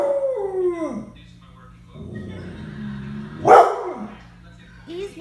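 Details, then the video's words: Pet dog howling on cue from its owner: a falling howl with harmonics opens the clip, then a lower tonal moan follows, then a sharp vocal burst, amid talk and background music. "Making animal sounds and howling"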